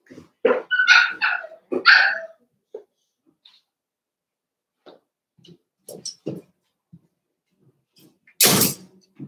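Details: Cavalier King Charles Spaniel puppies playing indoors in a home puppy pen, a burst of high yelping barks and squeals in the first two seconds, then soft scattered yips and a loud thud near the end.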